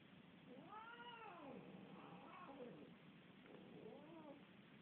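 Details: Domestic cat fighting with another cat: three drawn-out, wavering yowls that rise and fall in arching moans over five seconds, the middle one broken and rougher, over a steady low background hiss.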